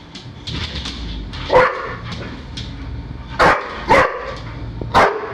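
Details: Pet dog chasing balloons around a house: short sharp barks, one near 1.5 seconds then three in quick succession toward the end, with indoor rustling and thumps between.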